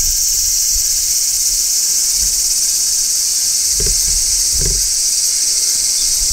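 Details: Large brown cicada shrilling in midsummer: a loud, even, high-pitched electric buzz filling the whole stretch, with two brief low knocks in the middle.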